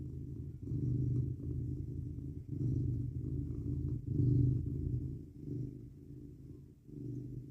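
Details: Domestic male cat purring while cuddled up in bed on a 19 °F night, a steady low rumbling purr that swells and fades with each breath roughly every one to one and a half seconds.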